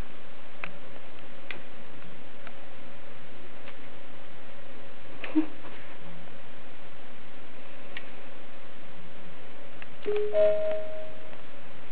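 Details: A quiet indoor space with a low steady hum and scattered soft ticks and clicks. A brief faint tone near the end is too short and indistinct to identify as an animal.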